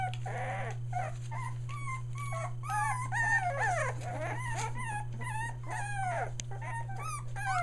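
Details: Young Australian Shepherd puppies just under three weeks old, near Mooresville, NC, whimper and squeal in quick, irregular bursts, some calls sliding downward, more than one pup crying together over a low background hum.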